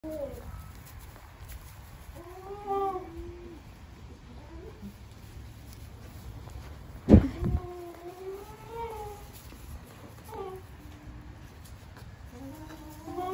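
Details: Several days-old Nubian goat kids, playful, on a small farm, bleat in high, wavering, nasal cries that overlap from several animals.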